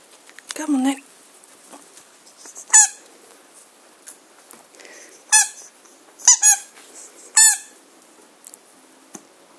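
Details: German Shorthaired Pointer puppies playing in a garden, 22 September 2016: sharp, high harmonic squeaks and squeals in short bursts every second or two, with a woman's voice briefly heard at the start.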